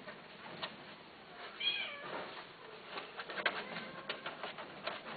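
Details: Domestic cat giving a soft, drawn-out meow that rises and falls in pitch near the middle, followed by faint scattered clicks and shuffling against a steady background hiss.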